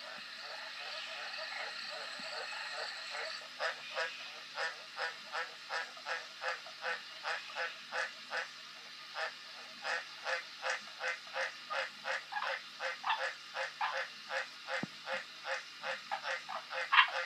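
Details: Green tree frog croaking: short nasal notes repeated steadily about twice a second for most of the recording, with a soft background hiss throughout.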